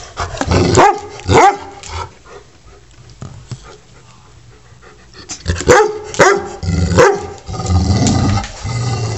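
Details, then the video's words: Pet dog barking indoors while picking on the household cat, acting tough before being chased off; a few sharp barks in two bursts separated by a quieter stretch, with soft growling and low background rumble. "Dog Vs Cat or Cat Vs Dog????"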